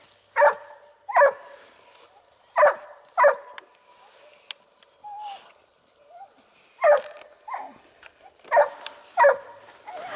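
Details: At the amateur Les Dogues de Plaine kennel, a Dogue de Bordeaux barks in pairs and short bursts, about nine loud barks over ten seconds with brief soft whines in the gaps.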